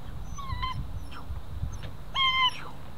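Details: Female German Shepherd puppy, ten weeks old, in protection training, letting out two short high whines, one early and one near the end, over low rumbling handling noise and a man's voice.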